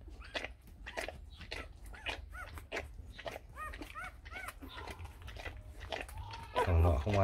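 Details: Newborn Rottweiler litter, four days old, sired by Vietnamese champion Loki Gervi out of Faye: a busy run of high, arched squeaks and whimpers, roughly two or three each second, ending in a louder jumble of squeals.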